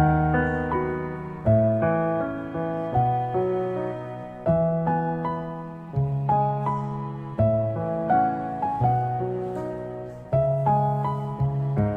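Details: Gentle piano music plays throughout in slow, repeated chords, with no animal sound heard.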